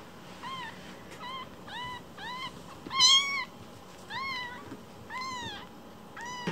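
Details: Newborn rescue kittens about one week old, Cookie and Nan, still with umbilical cords, repeat short squeaky meows roughly every half second, one much louder cry near the middle, others softer and arched.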